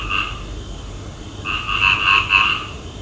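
A frog gives a short croak, then a run of quick, nasal, pulsing croaks at night.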